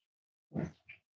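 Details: Five-week-old Cavalier King Charles Spaniel puppy from Myra and Remy's litter, indoors at Red Barn Cavaliers: one short, low, throaty grunt-like woof, then a softer, briefer second note, in an otherwise quiet room.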